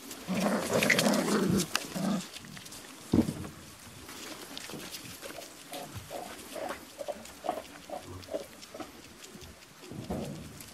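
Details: A litter of five-week-old Beauceron puppies at a kennel, 22 November 2018, just before feeding. A burst of overlapping yelps and whines opens, then short, high cries repeat in quick succession while a woman talks to them.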